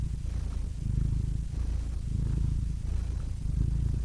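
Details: Dense, very low rumbling purr of a cat, nearly continuous with gentle swells in loudness and only faint breath breaks.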